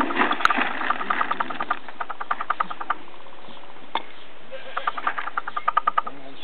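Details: Captive black-tailed prairie dog at Blavand Minizoo during the rut, in a bad mood: fast series of clipped, harmonic chirps in bursts with a brief pause, human voices faintly underneath.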